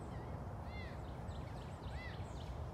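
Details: Cricket, a serval at a big cat rescue that is usually talkative only in the mornings, gives two brief, clear, slightly nasal meows that rise and fall, about a second apart, over a constant low background rumble during morning feeding.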